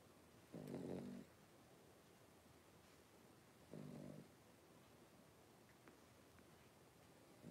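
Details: Blenheim Cavalier King Charles Spaniel puppies, five littermates aged three weeks, born around New Year's in a home puppy pen; deep grating snore-like breaths roughly every three seconds over a low steady background.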